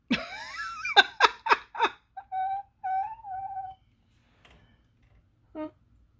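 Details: Abby, a cranky tabby cat, grumbles while eating food as squirrels steal the cat food, recorded 25 May 2025. A falling meow-like cry is followed by quick clipped bursts, then two drawn-out steady moans and one short final call in a quiet room.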